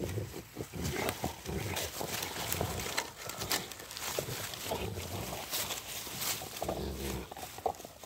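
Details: Three Rottweilers play with a stick on a wintry walk as light snow falls, giving low, rumbling growls in uneven bursts amid scuffling and sharp crunching sounds.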